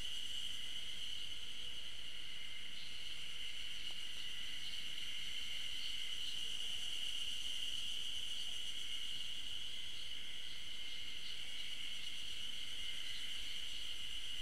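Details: Hidden Ezo spring cicadas in song on a trail at the Tokyo University of Agriculture Okhotsk campus, 15 June 2012: a long steady high drone overlaid with soft rhythmic throbs, roughly three per second, continuing without pause.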